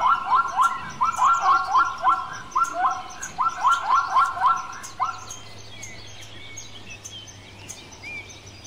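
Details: Zebra bray outdoors: bursts of quick, rising, barking honks for about five seconds, then fading into a steady low hum with faint distant bird chirps.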